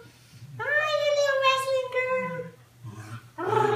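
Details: Basenji Ginger Snap, a female, wrestling playfully indoors with her owner: a drawn-out, tonal yodel lasting about two seconds that slides gently downward, with a woman's voice talking to the dog before and after.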